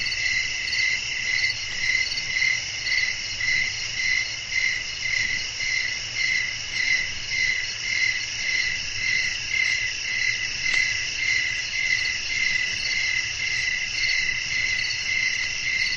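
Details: Night chorus of crickets amid wind, a calm sleep soundscape; high ringing chirps repeat in an even rhythm close to twice a second throughout, layered over a steady shrill drone and a quiet low hum.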